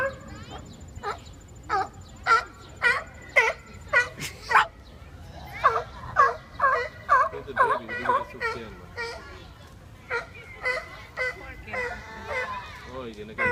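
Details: Seals arguing, giving a run of wavering, nasal bleats with strong harmonics, about two per second, some calls overlapping as more than one animal joins in.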